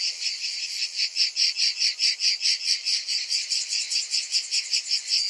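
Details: Cicadas on a hot summer afternoon, a dense chorus of rasping, pulsing buzz repeated about two and a half times per second, steady and high-pitched with no other sounds.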